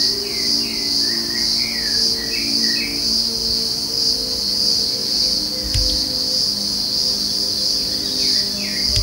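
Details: A pororó insect gives a steady, shrill, high-pitched drone that pulses gently throughout, with faint bird chirps early on and a low mechanical hum underneath. Recorded in Puerto Iguazú, Misiones, Argentina, on a cool morning.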